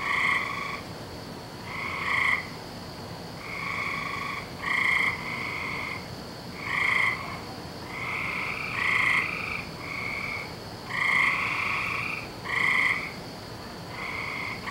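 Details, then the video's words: Frogs in full nightly chorus on 17 May 2012 produce a near-continuous run of nasal, droning trills, calls overlapping and swelling every second or two with no gaps. "Season Of The Frogs"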